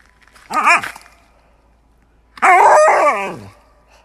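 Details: Siberian Husky in a comical pet compilation: a brief warbling yodel, then after a pause a longer, wavering, talkative howl about a second long with rising and falling pitch.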